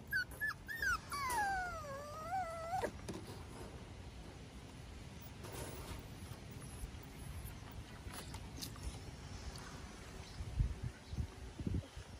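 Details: A Miniature Schnauzer on a deck on a Sunday morning in May, with its 5-week-old pups, gives a brief, high whimper wavering down and up over two seconds; then a low outdoor hum and soft knocks.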